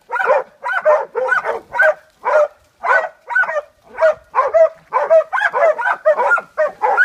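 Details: A pack of Catahoula Leopard Dogs bails a boar in a washout. Steady, harmonic barking repeats about twice per second, and several dogs' voices overlap toward the end.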